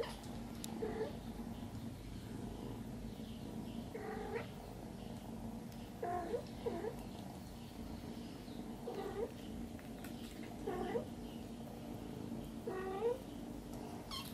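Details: Young kittens still nursing from their mother cat give short, thin meows, each dipping then rising, repeated every second or two amid a steady low hum of background noise.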